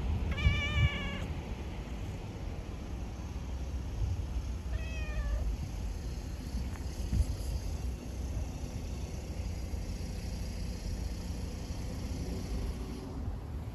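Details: A female tabby cat in the street gives two clear, drawn-out meows, seeking attention and wanting to be stroked, with low traffic rumble behind.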